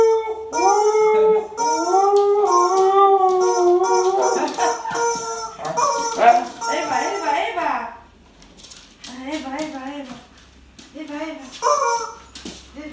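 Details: A Husky and a Corgi howling in a duet of sustained, wavering tones with bending pitch for several seconds, then quieter broken yowls and talk-like vocal sounds in the second half.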